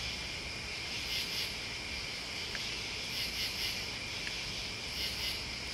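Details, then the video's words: Steady high insect trilling from crickets and bugs, with rhythmic bursts of quick chirps about every two seconds, two faint clicks, and a low background hum. "The Sounds Listening to Crickets and Bugs"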